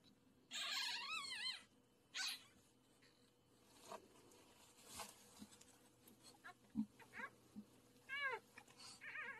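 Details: A rehomed bulldog around the time of giving birth makes high, wavering whines and squeals in short bursts with quiet gaps between.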